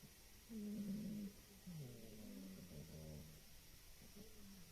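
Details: Female domestic cat snoring in a house, said to snore like an old man: quiet, low, droning rumbles with buzzy tonal bands, each snore lasting about a second, over a soft steady background hiss.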